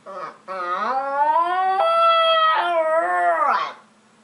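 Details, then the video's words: Dog making funny noises: one long, rich, tonal howl lasting about three seconds, rising at the start then holding steady before sliding down at the end. "Hilarious Dogs Making Funny Noises"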